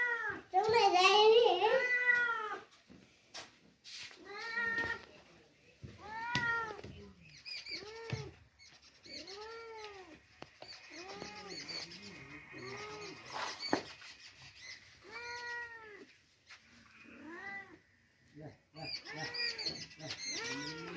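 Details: Stray kitten that came wandering to Khajurbhai, cared for and given milk: a rapid run of loud, arched, tonal meows, about three a second, then spaced repeated mews, with people talking and background music.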